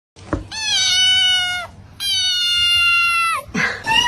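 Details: Unhappy male house cat, indoors, as a person asks whether it wants to eat; two long, loud, steady, drawn-out meows, each about a second and a half, falling slightly at the end, followed by a short third cry.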